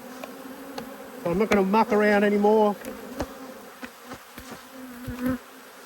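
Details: An agitated honey bee hovers near during a hive inspection on 5 March 2022, giving a steady, loud, low droning buzz for about one and a half seconds, after which the softer colony hum continues with faint ticks and knocks.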